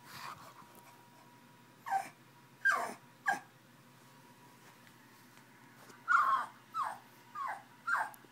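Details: Pug, described as angry and trying to reach a bottle, letting out soft falling whimpers: three spaced cries, a pause of nearly three seconds, then four quicker ones; a low hum runs throughout.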